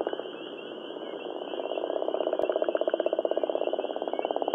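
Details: Gopher frog (Rana capito) from Georgia, giving a long rattling, pulsed croak. The rapid pulses come in quick succession and grow steadily louder over the first two seconds, then hold firm to the end.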